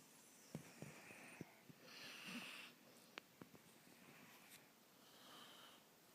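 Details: Stella, a female dog, asleep with her head resting on a person's shoulder, breathing in soft hissing, wheezy snores about every three seconds, with small clicks and rustles in a quiet small room.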